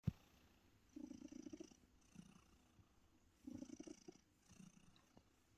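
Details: Purring of a female domestic cat born around 2016, once a stray found living in a bush, resting indoors in a comfy chair: low rumbling bursts rising and fading with each breath, a louder cycle near the start and a softer one later.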